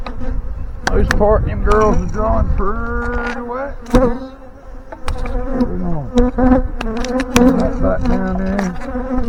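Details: A dense honey bee swarm hums steadily in the morning as it is installed into a five-frame box, its queen not yet seen. Single bees buzz close by against terrible, gusty wind.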